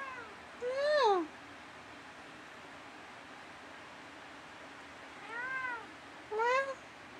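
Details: Dusty, a pet cat, meows back and forth with his owner indoors in the middle of the night: a loud falling meow, then after a pause a softer arched meow followed closely by a short rising one, over quiet room hiss.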